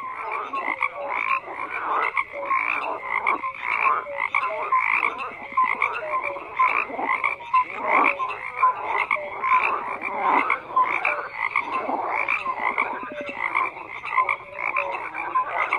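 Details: A thick frog chorus of continuous croaking, with rough rattling calls overlapping brief whistled notes, the intensity surging and easing in waves every second or so; nothing else is audible.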